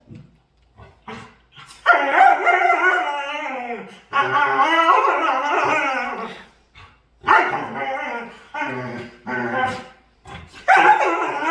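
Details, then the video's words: A dog making noises while playing and dancing gives drawn-out, wavering howl-like whines in four long bursts, with shorter yips between them. "Cutest Dog Making Harlious Noises And Dancing While Playing"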